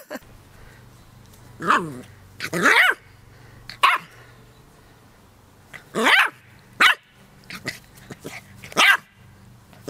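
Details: Dog barking in loud, harsh bursts, single and doubled barks spaced roughly every one to two seconds over a steady low hum, with a person's voice faintly between barks.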